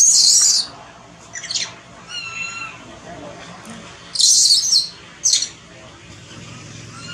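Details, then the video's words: Thona, an infant monkey that has lost its mother and wants milk, gives loud hoarse shrieks separated by a few softer, quavering tonal whimpers that slide gently downward. "Pityful Baby Thona Lose Mom Crying Loudly, Poor Thona Much Hungry Milk."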